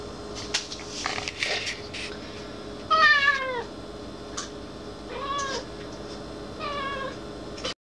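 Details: Irina the black cat gives three harmonic meows spaced about a second apart, each bending up then down, after a stretch of rustling and clicking noises, with a low constant hum throughout.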